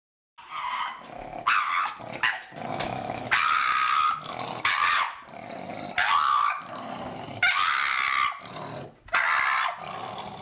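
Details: A dog from a compilation of funny dog moments growls and grumbles in rough, broadband bursts, with several longer rasping stretches and short pauses between them over about ten seconds.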